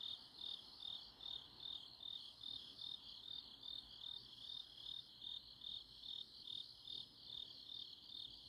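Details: Autumn-night grass insect chorus in Chuncheon, Korea. A continuous high-pitched chirring throbs in regular beats, roughly two and a half per second, over a soft low hiss, with a faint, even higher thin tone drifting in and out.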